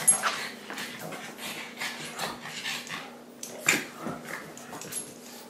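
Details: Pug and Great Dane playing together indoors in a home office: short yips, whimpers and soft growling bursts come in quick irregular clusters, with scuffling noises between them.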